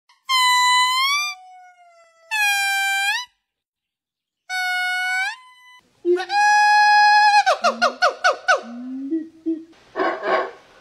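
Monkeys give clear, reedy calls that rise at the end, then a rapid run of pulsed squeaks.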